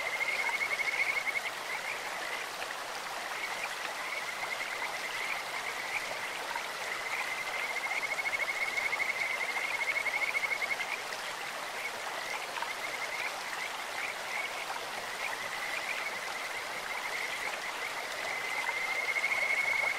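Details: Kajika frogs in a clear-flowing stream give high, rapid trilled phrases in bursts separated by pauses, set against constant babbling water noise.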